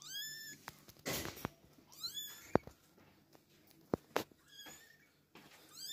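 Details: Kittens with their mother make repeated short, high mews scattered through the stretch, mixed with sharp clicks, knocks and a rushing scrape of handling or movement.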